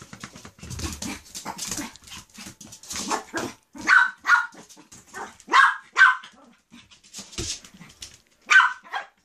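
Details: Puppies yapping in short, sharp, high barks, a few loose ones early and then a cluster of bright yips between four and nine seconds, with a human voice murmuring at the start.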